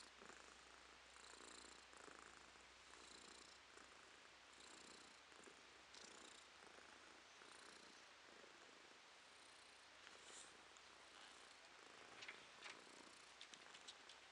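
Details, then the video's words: A female house cat, recorded April 2023, purrs gently. Soft buzzing bursts come in an even rhythm roughly twice a second, rising and falling with her breathing, with a few faint clicks near the end. "Кошка Ромашка Урчит"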